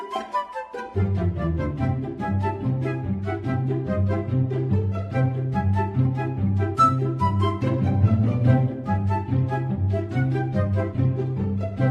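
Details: Instrumental music with a steady pulsing bass line and bright melodic notes above, starting after a short quiet moment; no animal is heard.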